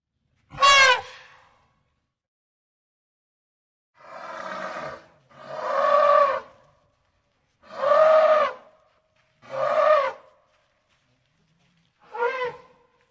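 An African bush elephant trumpets shrilly, then gives a series of harsh, drawn-out roars.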